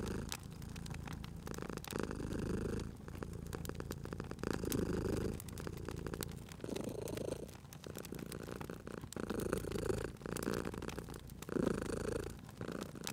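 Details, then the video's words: Sleeping cat purring near a fireplace in cozy spring ambience, long breathing cycles of deep rumbling purr, joined by frequent pops and crackles from the fire. "Cute Purring Cat at a Crackling Fireplace"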